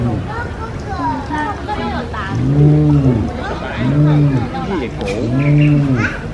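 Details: Spotted hyenas Xiaoguai and Xiaobai at Taipei Zoo, awake and calling in a first recording of their voices. The caller is unknown. Three low, arched, rise-and-fall tones come about every one and a half seconds over loud crowd chatter.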